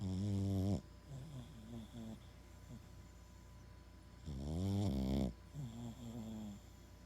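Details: Max, a Boston Terrier, snoring massively: two loud, deep, buzzy tonal snores roughly four seconds apart, each lasting about a second. Each is followed by softer, wavering, whining breaths.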